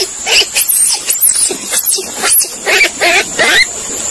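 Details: Monkey calling: a string of shrill, squealing cries, some sweeping sharply up and then down, about seven bursts in four seconds, over a constant high-pitched hiss.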